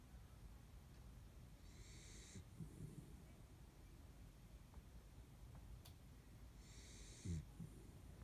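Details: Kaninchen dachshund napping deeply at the window: two gentle breathing cycles, each a hushed airy inhale ending in a faint low snore, roughly five seconds apart, with a soft click between them in an otherwise quiet room.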